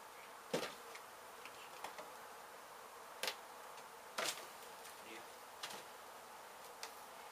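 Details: Honey bee colony disturbed by house demolition in Mission, Texas, during a hive rescue. A constant buzzing drone is overlaid by several loud knocks and clicks spaced about a second apart.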